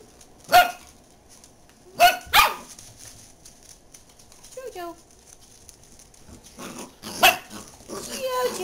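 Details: Dachshund named JoJo gives a few scattered sharp barks, two close together near the start and another later, mixed with a whining rising call and background chatter from a person.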